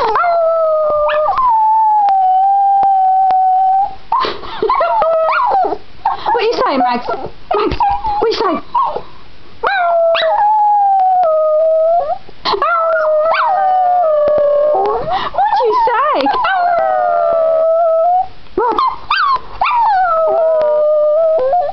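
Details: Female Border Terrier giving a long howling session: sustained wavering tonal howls that slide down and level off, repeated in bursts with short breaks, mixed with yipping and whining notes and some human voice.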